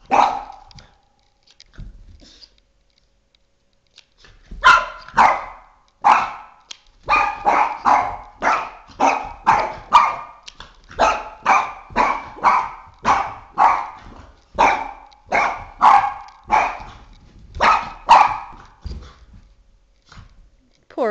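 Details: Boston Terrier named Oscar, aged three and a half, at war with a flashlight; after a few scattered barks and a quiet stretch, a long steady string of sharp repeated barks follows, with a person speaking briefly between them.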